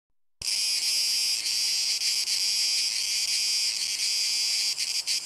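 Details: Male Cicada orni singing, possibly dueling with another male: a sudden start into a dense, continuous high buzzing rasp that holds steady throughout, with slight pulsing near the end.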